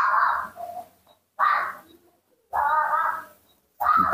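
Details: Baby monkey named Nomi, cared for at home, calling with small screams while impatient for milk; four loud, harsh squealing bursts separated by short silences, each with a faint softer tail.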